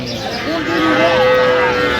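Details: Cattle at the Aftabganj cattle market in Dinajpur on 21 January 2026, where cows are sold with their calves. One long, steady, tonal moo holds level for about a second over a constant murmur of market voices.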